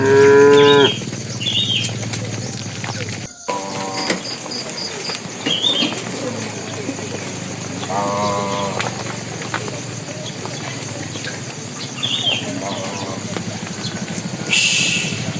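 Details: Tame cattle walking toward their pen, a bull calling to the cows: a drawn-out harmonic moo opens, with shorter moos near four and eight seconds, while small birds chirp high and a steady hum runs beneath.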